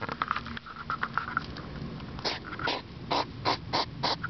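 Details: European hedgehog outdoors at 10pm on 3 September 2009, sniffing loudly in the dark like a pig: a few short breathy puffs, uneven in spacing, some with a faint nasal tone.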